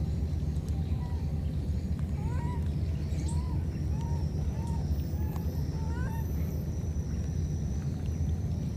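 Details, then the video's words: Wild baby monkeys cut off from each other by a flood give thin, high, arching whistles, spaced about a second apart, half-buried under loud, continuous low water noise. "Calling each other, these two baby monkeys were separated because of the flood"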